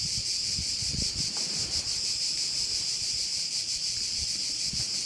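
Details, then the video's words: A constant piercing chorus of crickets at a Korčula bay, Croatia, throbbing quickly and evenly, with faint low wind bumps in the background. "view of one of the bays in Korcula with sounds of crickets"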